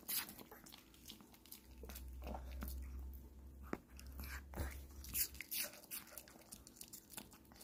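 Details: A Pomeranian eating an apple indoors, with sharp wet crunches and bites coming in quick, uneven bursts, a few loud snaps among softer chewing, and a low hum underneath for part of the time.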